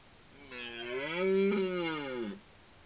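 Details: Red deer roaring during the rut: one deep, drawn-out bellow of nearly two seconds, richly harmonic, swelling in loudness toward the middle and then sliding down in pitch at the end. The background is quiet.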